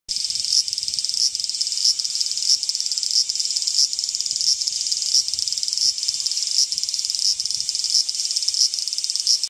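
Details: Cicadas chirping loudly on trees in Fushimi, Kyoto, Japan: a dense, high, shrill buzzing drone with rapid rhythmic pulses repeating about every two-thirds of a second, steady throughout.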